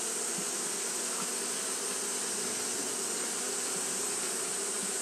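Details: On a hot day, Japanese honey bees keep up their fanning behaviour, giving a dense continuous hum with a faint flicker of low pulses under an even airy hiss.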